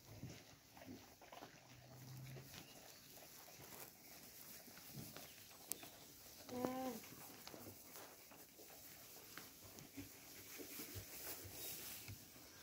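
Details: Alpaca females eating hay at a trough, choosing the best stalks; quiet, steady crunching and rustling bites, broken once by a brief harmonic call near the middle, over low steady hiss.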